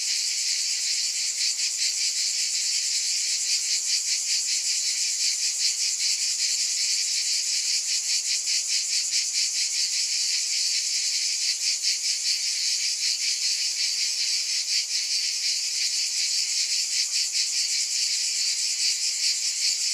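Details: Many cicadas sing together in a constant high-pitched hiss-like buzz, faintly pulsing at a steady fast rate, holding the same level from start to finish.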